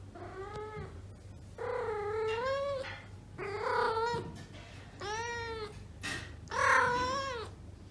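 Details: Domestic she-cat in heat, indoors among neutered cats: five loud, drawn-out yowls about a second each, rising then falling in pitch, rich in harmonics, with brief gaps and a low steady hum beneath.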